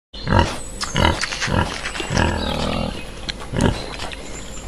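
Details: Pig. Low, throaty grunts and nasal snorts come from a pig in quick, uneven bursts. The oinks are gruff and short, with a faint hiss of outdoor noise behind them.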